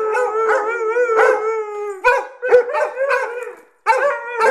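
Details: Dogs excited before their walk howl in drawn-out, wavering harmonic tones, broken by short yelps and a brief pause near the end.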